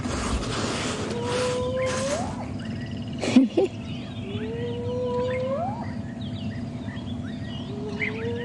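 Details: A female spotted hyena in a clan gives long, very high-pitched whooping contact calls at sunrise on January 11, each whoop sliding upward and ending in a high note; nearby cubs react to the call.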